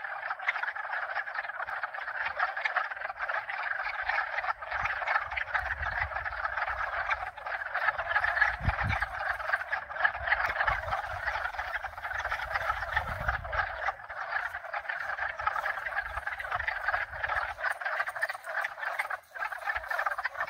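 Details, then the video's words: Mixed chorus of two to four frog species, steady overlapping croaking and trilling throughout, with gusts of low wind noise midway and faint high wind chimes tinkling. "Croakers 2022"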